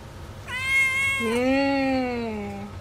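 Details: Domestic cat in a funny-cat compilation letting out one long, clear meow that starts high and strained, then drops to a lower, drawn-out tone and fades over about two seconds.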